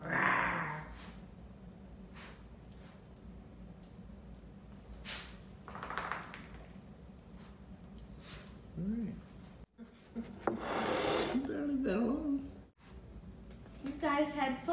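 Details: Two Basenjis, Zinga and Zulu, play-wrestling indoors: low, wavering growls and snorts come in short bursts, separated by quiet breathing and scuffling, with some human voices in the background.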